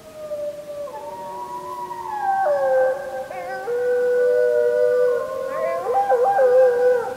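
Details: Wolves howling at full moon, 31 July 2015, on a JVC Everio GZ EX215: a few voices hold long, smooth notes at different pitches, one dropping lower while another rises, ending in wavering, quavering tones.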